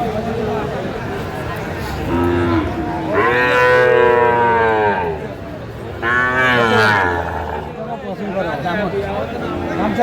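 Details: Sahiwal bull at Aftab cattle market in Cumilla, Bangladesh, on Tuesday 11 February 2025. Two long, loud, deep harmonic moos, the second shorter, with bargaining voices and crowd murmur behind.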